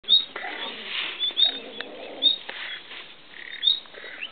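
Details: Two beech martens copulating on a riverbank in the Community of Madrid, Spain, 15 July 2012: short, harmonic warbling bursts in the low-mid range, separated by brief pauses, while sharp high chirps ring out about once a second.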